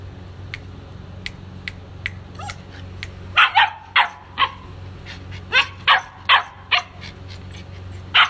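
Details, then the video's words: White German Shepherd puppies, male and female, giving a run of high, sharp yips and barks that grow louder and closer together midway, over a steady low hum. "White German Shepherd puppies"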